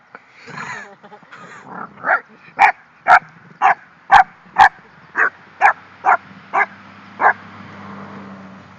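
An English Bulldog gives a string of short, raspy, yelping grumbles, about two a second, while guarding her bone.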